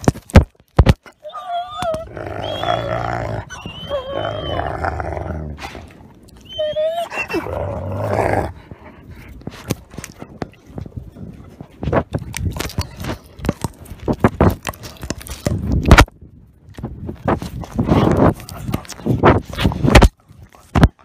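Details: Nikai, a 10-month-old captive-born gray wolf and ambassador wolf at the Wolf Conservation Center in South Salem, New York, biting a camera: high wavering whines with rich harmonics early on, then dense crunching and clicking chewing noises.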